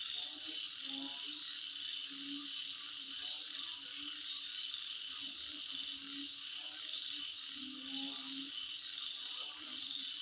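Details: Midnight insect chorus forming a continuous shrill, ringing drone overlaid with quick repeated chirps, accompanied by scattered low croaks that swell and fade every second or two.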